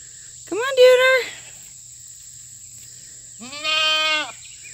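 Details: Loud fainting goats at a farm during a fresh cut grass treat day, one goat nearly fainting: two rich, wavering bleats, the first higher and sharper, the second longer and lower, with a quiet gap between them.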